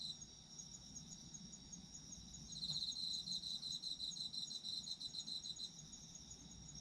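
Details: Autumn insect chorus, a thin high buzz at first, then from about two and a half seconds a louder rapid pulsing trill joins and runs for some three seconds before easing back, over soft low noise.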